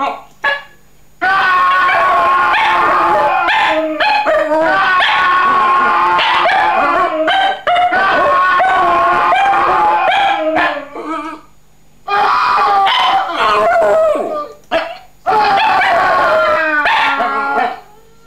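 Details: Domestic dog howling along to played sound effects: long wavering harmonic wails, several overlapping, in dense bursts broken by short gaps, with sharp clicks and other layered tones mixed in.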